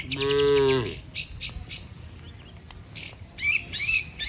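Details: Dozens of tame cattle heading home together to their barn after a day on open pasture; one short, low, full moo opens the moment, then lively bird chirps and twitters fill the rest.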